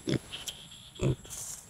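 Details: Two piglets on a farm grunt, giving two short, low, throaty grunts about a second apart.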